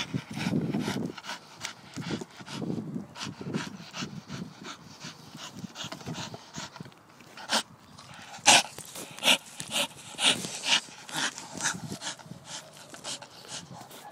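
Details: A pet Staffordshire bull terrier pants and grunts softly at first, then gives a string of loud, sharp, huffing snorts repeated about once a second.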